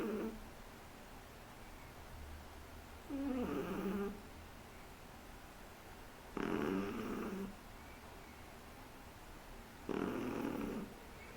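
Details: Snoring from a Shih Tzu puppy three months old, indoors: rough, wheezy breaths roughly every three to four seconds, each lasting about a second, with steady quiet background between them.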